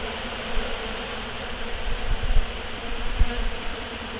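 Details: Honey bees up close gathering leftover honey from collection equipment after harvest to carry back to their hives; a dense, steady, low droning hum of many bees with soft occasional bumps.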